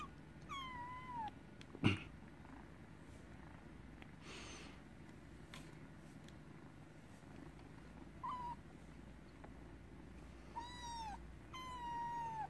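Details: Kitten giving several short high meows, each a clear falling whistle-like tone, spaced irregularly across the recording with a low steady hum beneath.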